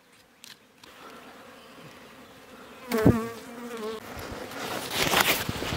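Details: Wild honey bees buzzing as their hive is cut from a bush on a mountain in rural Iran. A low, wavering buzz is overlaid by loud rustling and handling bursts midway and toward the end.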